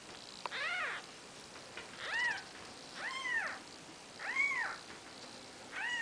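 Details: Faint, thin mews from four-day-old Maine Coon kittens of the mother cat Nikita, five arched cries in a row, partly buried under steady hiss.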